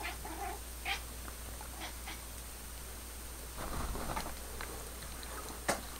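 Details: Indoor cat Pepper addressing her new laser beam friend with quick, high chirping trills early on, then quieter rustling and a sharp click, over low steady hum.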